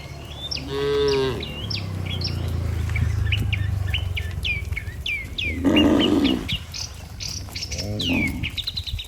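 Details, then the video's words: Herd of healthy cattle walking together to the barn, driven by a herder: a harmonic, drawn-out moo near the start and a rougher, noisier low call around six seconds, with many chirping birds throughout. "Suara Sapi Moo"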